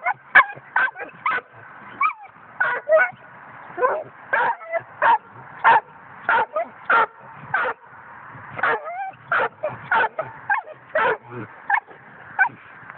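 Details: Coonhound pup at five months yaps in a long, steady string of high, sharp barks nearly every half second, mixed with brief rising whines throughout.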